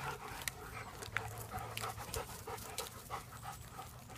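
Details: German Shepherds out in the first little bit of sun of 2017, panting steadily with soft breathy rasps about three times a second, with faint clicks and a low steady hum beneath.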